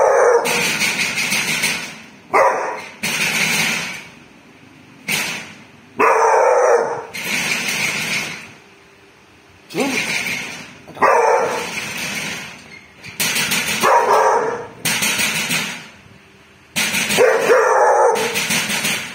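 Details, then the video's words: Dog named Bull sounding off at a thief with a steady run of harsh, forceful barks, each burst about a second long, coming in quick succession with brief breaks between. "bull biết sủa ăn trộm"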